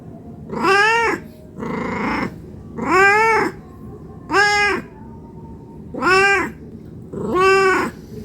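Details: Domestic cat meowing non-stop while begging for food out of hunger: six loud arched meows at about one-and-a-half-second intervals, one of them breathier and rougher, over a faint background hum.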